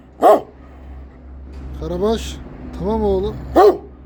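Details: A single deep bark from a Kangal, then a man speaking soothingly, then another loud bark, low hum throughout.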